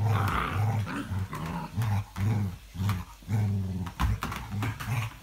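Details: Dated 05.02.17, an English Springer Spaniel growls in a low, pulsing rhythm of short rumbles about every half second to second, with a brief higher-pitched vocal edge at the start.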